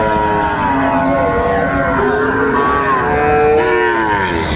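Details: Sahiwal bull calves at Raniganj cattle market in Dinajpur, Bangladesh, on 30 May 2024: several overlapping drawn-out moos with wavering, gliding tones, steady market background noise throughout.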